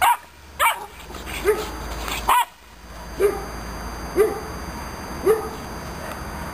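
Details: An aggressive Romanian Mioritic Shepherd puppy starts with a few sharp, strong barks. These are followed by softer, lower barks spaced about a second apart against a faint hum.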